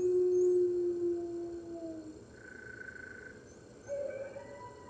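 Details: Morning howling of red wolves joining the rest of a New York wolf center's pack, March 2013: one long, low howl fades out, a quiet gap follows, then a fresh higher howl starts near the end.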